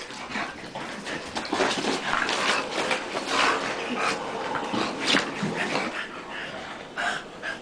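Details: Playful grappling between two dogs, Tank and Bofa, gives dense runs of rasping breaths, grumbly noisy bursts and scuffling, loudest through the middle, with a faint voice in the background.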